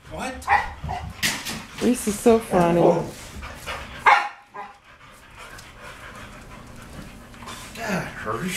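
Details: English Springer Spaniels, excited before their walk, bark in quick bursts for about four seconds, then fall mostly quiet apart from a final yelp. Voices are heard in the background.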